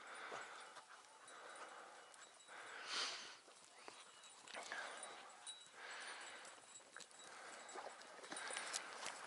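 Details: Hounds hunting the first hare of 6 October 2018, working a morning scent trail, flushing it quickly and giving tongue in the chase; distant, muffled bursts of baying recur every second or two over steady outdoor background noise.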